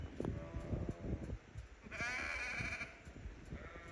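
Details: A sheep in a lambing nursery field, with a newborn lamb only minutes old nearby, gives one wavering, nasal bleat lasting about a second, then a fainter bleat; muffled thumps and rustling come first.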